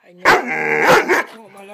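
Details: Swiss Mountain Dog puppy indoors during one of its excited "bad dog runs": a single loud, drawn-out harmonic bark-howl lasting about a second, falling off into quieter tail sounds.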